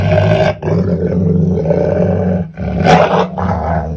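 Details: Belgian Malinois guarding a beef trachea with food aggression, growling loudly and continuously in deep rough rumbles, with two short breaks and a harsher, noisier burst near the three-second mark.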